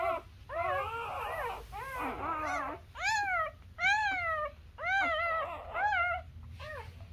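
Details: Newborn Labrador Retriever puppies nursing on their mother, giving high, arching whimpering squeals, about a dozen overlapping cries in quick succession, each bending up then down, indoors.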